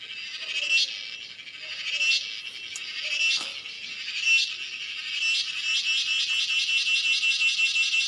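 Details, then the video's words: Cicada, locally called cheeveedu, giving a high, shrill, continuous buzz that swells and fades in waves. Near the end it turns into a fast, even pulsing, with a brief click in the middle. "Cicada sounds/Cheeveedu"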